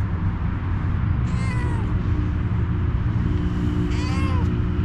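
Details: Stray female cat after a head massage utters two short descending meows about three seconds apart, set against continuous low-pitched street noise.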